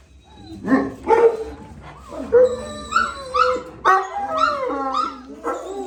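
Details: Gultair dogs, a male and a pregnant female, at a kennel: short harmonic barks and yelps in quick bursts, some rising and falling like whines, with faint voices in the background.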